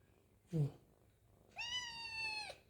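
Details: A very hungry kitten, while eating, gives one long steady meow lasting about a second, clear and harmonic with a brief upward and downward bend at its ends, after a short low thump; quiet indoor room background.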